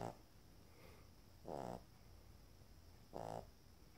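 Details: Shar Pei puppies snoring while asleep: short, soft, nasal snore bursts with a buzzy, layered tone, about every one and a half seconds, over a low steady hiss.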